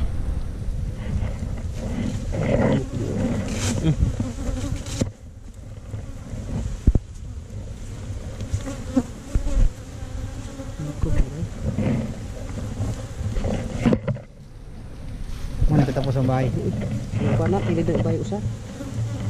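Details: Honey bees at a wild hive inside a hole in a tree trunk, disturbed during a honey harvest and recorded on a GoPro Hero5 Black. A steady low droning buzz swells and fades, with brief breaks, scattered knocks and occasional men's voices.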